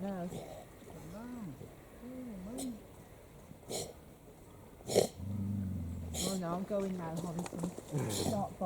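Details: A baby seal on Churston Cove beach on 09/12/2021 gives drawn-out, wavering moans that rise and fall, possibly a distress call, with a woman talking over them.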